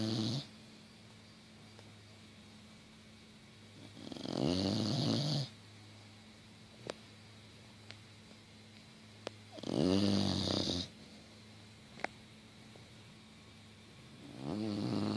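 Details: Female English Bulldog crashed out asleep on a couch with her tongue out, snoring loudly: harsh rattling snores lasting about a second and a half, repeating roughly every six seconds, with quiet pauses between over a low indoor hum.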